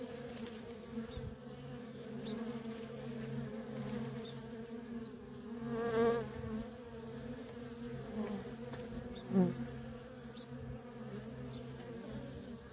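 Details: Feral colony of honey bees with worker bees streaming in and out nonstop; a continuous layered drone, pitch wavering as single bees fly near, with brief louder swells around the middle and later.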